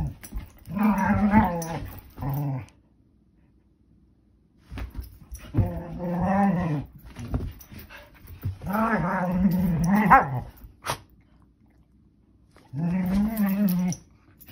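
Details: Mini Norwegian Elkhound puppies, a young female playing with her brother indoors as she spins and barrel rolls into him; low throaty growl-grumbles with harmonic whines come in four bursts of one to two seconds, separated by quiet gaps.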